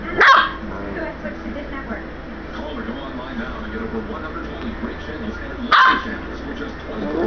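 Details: Catahoula Leopard Dog puppy, indoors, going mad and attacking its owner: two sharp, loud barks roughly five and a half seconds apart, over steady background hum and a man talking quietly between them.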